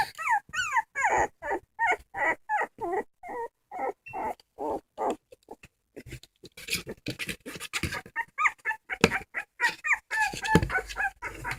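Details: Whining dog producing repeated short cries that bend downward, over a rough, noisy background. The later part turns into denser, mixed yelps and scuffling sounds.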